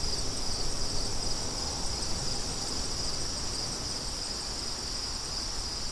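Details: Crickets and wind: a continuous high-pitched ringing trill holds level throughout, with a softer airy wind hiss and low rumble beneath.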